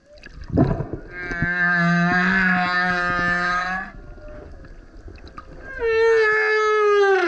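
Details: Male humpback whale singing super loud beside a kayak, a long buzzy harmonic roar with pulsing texture followed by a clear falling moan; faint water sounds underneath.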